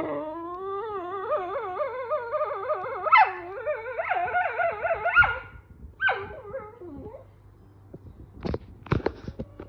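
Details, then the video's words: Female whippet at home yelling at a male whippet: a long, warbling, wavering whine-howl with rapid pitch wobbles that swells louder midway, then breaks into short descending yelps, followed by a few sharp clicks and knocks. "Girl Whippet yelled at Male whippet"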